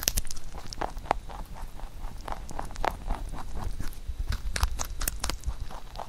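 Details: A pet rabbit eats carrot shaped into songpyeon rice cakes, chewing with rapid crisp crunches and soft nibbling clicks in quick succession.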